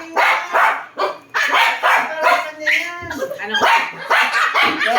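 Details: Pomeranian dog giving a rapid run of sharp, high barks, about two or three per second, with some uneven spacing and a brief whining note near the middle.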